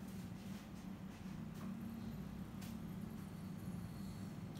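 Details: Faint low rumble like distant traffic or an engine, with a soft click now and then and no animal voice.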